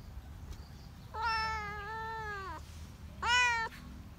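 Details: Cat at the countryside lets out one long, level, plaintive meow followed by a shorter, louder one, with a faint low hum behind.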